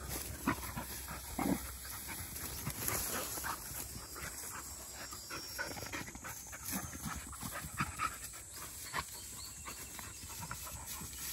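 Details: Field-line Labrador Retrievers at a midday rest: black female puppy Dori and yellow female puppy Pin, 197 days old, with 12-year-old Mā. Soft, irregular breathy panting over a steady high hiss.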